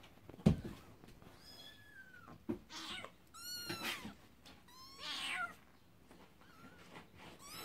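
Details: Scottish Fold kittens, recorded 20 April 2016, give thin, high meows, several in a row with rising and falling pitch.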